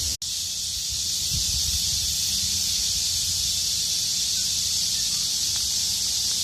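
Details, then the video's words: Midsummer chorus of many cicadas, a continuous shrill electric buzz at constant loudness, with a brief click at the start and soft low background noise. "무더위 식혀주려는 매미들의 합창"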